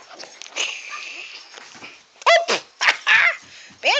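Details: Puppies, with people talking softly at first, then about five short, sharp, high-pitched yelps in quick succession over the last two seconds.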